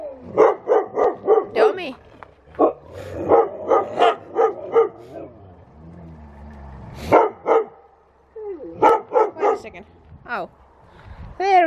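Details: Loud watch dogs barking in quick bursts of sharp, repeated barks separated by short pauses, with a brief quieter stretch in the middle and a rising whine near the end.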